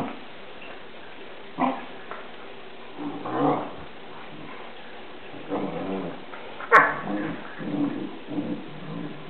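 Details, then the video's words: Murphy and Molly, Newfoundland dogs, wrestling in play: scattered low growls and grumbles spaced a second or two apart, building to a sharp snap and louder growling bursts in the last few seconds. "murphy and molly playfighting"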